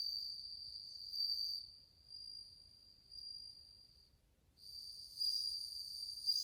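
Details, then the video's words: Many bell crickets recorded in August 2020, their cool, tinkling song a high ringing trill with overtones, in bursts that fade near the middle, cut out briefly around four seconds, then return louder. "鈴虫の鳴き声 スズムシ音色"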